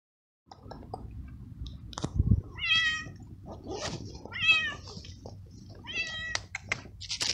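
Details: Very young male stray kitten living on the street, eating food brought to it; four short, clear meows with strong harmonics, spaced roughly a second apart, among soft chewing, rustling and handling noises.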